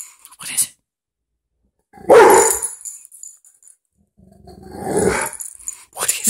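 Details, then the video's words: Indoors, the pet dog Butler reacts to a dog on TV with one loud, rough bark, then a longer growly outburst a few seconds later. Television sound and Spanish-speaking voices are heard nearby. "Butler hates the dog on tv!"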